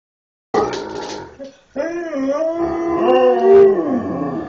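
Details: Huskies and Malamutes on a bed, talking to demand that their owner get up and feed them: drawn-out, wavering howl-like moans with rich harmonics, a short break, then a longer rising and falling yodel.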